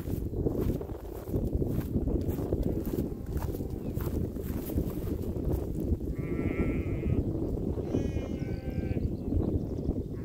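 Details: Sheep grazing on a meadow beside a lake, with cows nearby; two quavering, wavering bleats come at about six and eight seconds, the second longer, over a steady rumble of wind.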